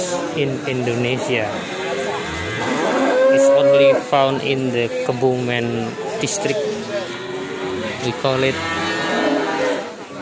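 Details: Ongole cattle in Indonesia, several animals lowing over one another: deep, drawn-out moos with layered tones, one higher steady wavering call in the middle, with a continuous murmur behind.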